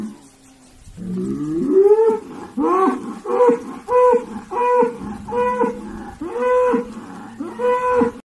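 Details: Bull at the annual bull auction in Mariscala, 20 October 2020, giving a string of short, harmonic bellows. Each one rises and falls and repeats about every 0.6 seconds after a brief low opening call, with little background noise.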